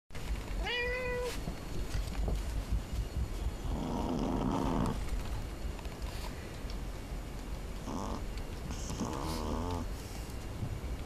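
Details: Small female sleeve Pekingese asleep and snoring: rough, breathy low bursts with a ribbed, pulsing texture come in separate spells, preceded by a short thin whistling tone near the start.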